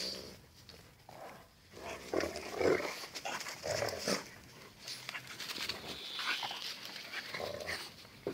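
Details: Two dogs in their daily fierce fight, heard as rough, noisy growls and snarls in bursts, rising louder around the middle, with scuffling throughout.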